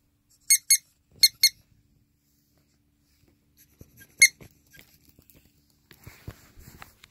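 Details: Pet ferret indoors, recovering for the third time from a dangerous condition: two pairs of sharp, high, harmonic squeaks early on, one more loud squeak near the middle, then faint rustling and soft taps.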